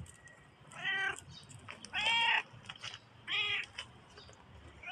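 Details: A black cat gives three short, harmonic meows, roughly one every second, with the middle call loudest and slightly longer, over a soft background hiss.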